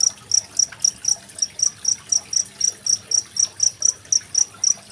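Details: Cricket with gently babbling water, dated 25 February 2023, used as a master recording to teach contest songbirds like magpie-robins; shrill metallic chirps pulse roughly four per second in an even rhythm over soft water noise.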